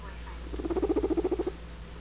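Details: Guinea Weasley, an adopted pet guinea pig, gives a rapid burst of about a dozen low, pulsed notes packed into roughly one second, rising and fading quickly over a steady low indoor hum.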